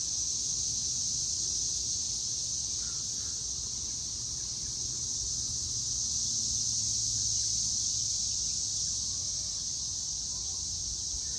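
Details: Cicadas calling loudly on the evening of May 24, 2024, at 6:00 pm. A continuous shrill buzzing drone that never pauses, even in intensity, over a soft low rumble.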